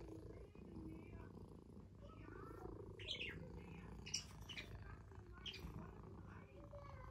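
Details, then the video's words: Domestic cat purring close up: a low, steady, rumbling buzz runs throughout, with brief higher rustles and faint voice-like sounds around the middle. "cat purring"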